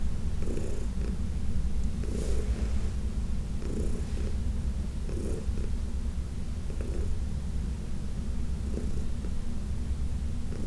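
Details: Elderly shelter-adopted cat Heidi, massaged on June 17, 2021, gives a continuous low throbbing purr, while light rubbing sounds recur every second or so over the rumble.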